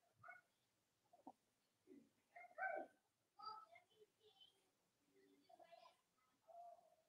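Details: Cavalier King Charles Spaniel puppies from Robin and Myra's litters, indoors. Steady high, wavering squeals and whines follow one another closely, some strained and harmonic-rich, with brief gaps between cries.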